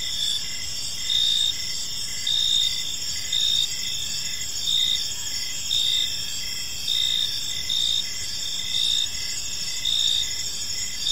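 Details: Evening in a park with crickets chirping: layered shrill trills and regular louder chirp bursts close to once per second, over soft low ambient rumble.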